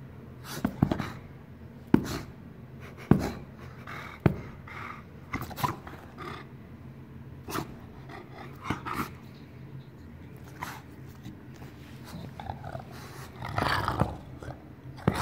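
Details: An English Bulldog indoors in a small room makes snorting, grunting breaths and short panting bursts. Sharp thumps and clicks recur irregularly, and louder huffing comes near the end.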